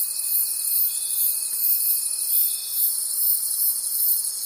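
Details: A night forest full of crickets gives an unbroken high-pitched pulsing trill, with a faint steady whine that fades out before the end.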